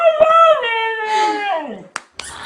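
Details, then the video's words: Dog 'talking' to its owner indoors: a drawn-out harmonic howl that wavers, then glides downward over about two seconds, followed by a couple of sharp clicks and a burst of background noise. "Funny dogs talking to owners"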